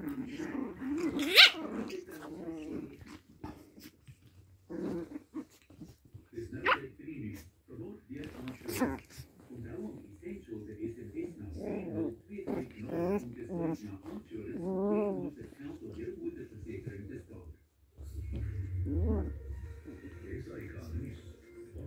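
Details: Pomeranian puppies playing indoors, giving rising whines, short yips and low growls in irregular bursts, with a few sharper barks and human voices talking in the background.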